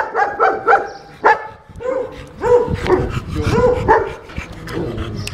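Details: Unmanageable German Shepherd during its second training lesson, an exercise in the owner's handling: a burst of loud, harmonic barks, some paired in quick succession, others drawn out and slightly whiny, about ten in five seconds.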